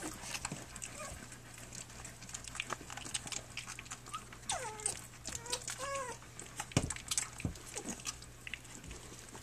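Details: Flute's puppies at three weeks old, nursing and playing on their three-week birthday; a few short, high whimpering squeaks that slide downward come close together midway, over steady soft clicking, suckling and rustling.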